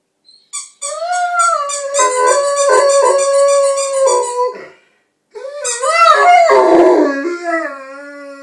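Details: Indoors, Frank the Rhodesian Ridgeback howls in answer to a squeaky toy, two long quavering howls with rapid pulsing squeaks layered over the first and a falling, whimpering tail on the second.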